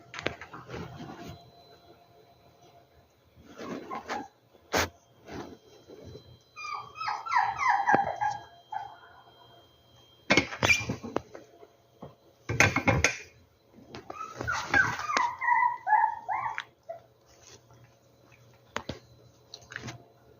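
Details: Rescued puppies whining: two bursts of high, wavering, tonal whimpers, each lasting about two seconds, one near the middle and one toward the end, separated by sharp knocks, clatter and shuffling noises.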